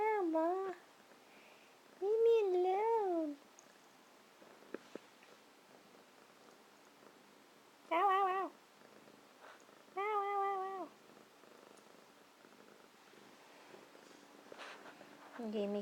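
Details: Domestic cat meowing: four drawn-out, wavering meows, some rising and falling in pitch, spaced several seconds apart, with quiet pauses between and a soft human voice nearby.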